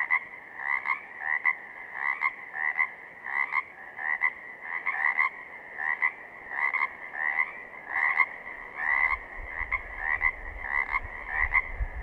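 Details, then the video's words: A chorus of Pacific chorus frogs in southern Oregon, rhythmic raspy rising croaks repeated about once a second from several overlapping frogs, with a low rumble entering near the end. "Pacific Chorus Frogs - photo gallery and calls"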